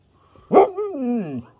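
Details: Siberian Husky puppy attempting to talk as its owner repeats words: a sharp loud onset followed by a harmonic, yodel-like note that rises, dips and sinks, lasting about a second.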